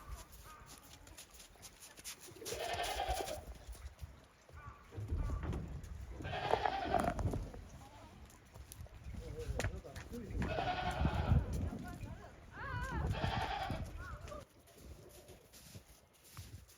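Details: Several goats at a handmade goat farm in Japan venture hesitantly onto deep snow after heavy snowfall, 28 December 2023; four drawn-out, wavering bleats come every few seconds over low shuffling and rustle.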